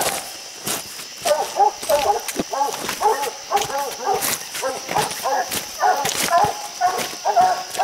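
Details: Coonhounds treeing raccoons, six coons up a steep, slick hillside bluff; rapid chopping barks from several dogs repeat about twice a second, mixed with a man talking and counting the coons.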